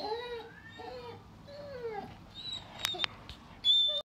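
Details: Doberman puppy whining over a new snack indoors: thin, high arching whimpers in quick succession, followed by a couple of sharp clicks and a short louder thump at the end.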